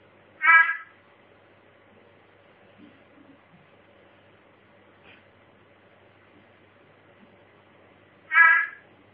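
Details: A mossy frog (Theloderma corticale) gives a short, harsh chirping call, repeated after a long pause.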